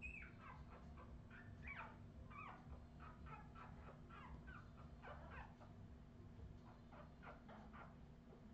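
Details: Australian Terrier puppies, filmed in 2018, keep up a busy run of thin, high whines and short yips, rising and falling in quick irregular succession throughout, with a constant low droning hum behind them.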